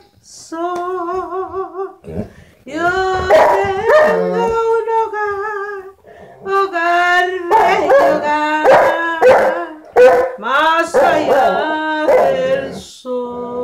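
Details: Saint Bernard dog 'singing': long, wavering howled notes with a strong tremolo, held one to two seconds each. Some are steady and some slide. Bursts of rougher, broken sound fall between them, with short pauses throughout.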